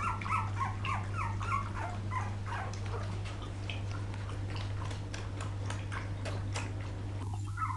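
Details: Litter of poodle puppies, 2012, crying in a dense chorus of high wavering squeals and chirpy yelps, several at once, fading into softer whines toward the end, steady low hum throughout.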